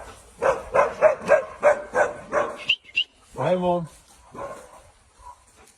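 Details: An Alaskan Malamute repeats quick mid-pitched woo calls for nearly three seconds, followed by a few sharp high yips, one drawn-out harmonic wail, and fainter calls trailing off into near quiet.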